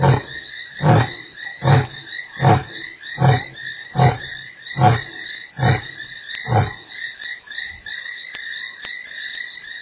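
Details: Roaring lion at Nkorho, 3 March, among eight roars over sixty minutes: evenly spaced deep grunts about every half second that stop partway through, leaving crickets chirping alone with a few faint clicks.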